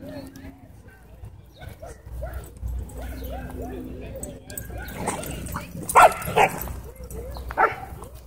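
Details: Wolfdog threatening a man at a dog park gives repeated arching, yodel-like moans about twice a second, with louder sharper yelps toward the end, over human voices and outdoor background noise.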